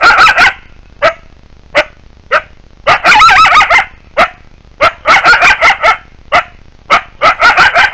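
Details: Coyotes in the wild giving rapid bursts of sharp yips and short barks, several per second in clusters. A wavering, quavering run of yelps rises and falls near the middle. Brief quiet gaps separate the outbursts.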